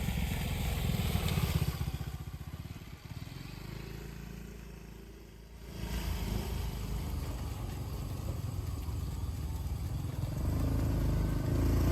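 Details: A vehicle or motorcycle engine rumbles steadily with low, dense noise and a brief quieter dip in the middle; no animal sound is heard.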